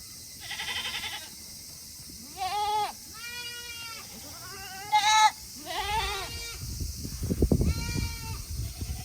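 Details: Tokara goats on a farm in Himi, Japan, on a hot day in August 2021, having finished eating early and wanting to return to their shed; several wavering, harmonic bleats of varying pitch, some nasal and quavering, with rustling and low background noise.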